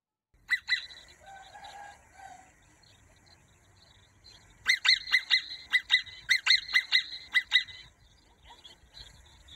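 A marmot gives loud, shrill screams, first a pair, then a rapid burst of sharp cries.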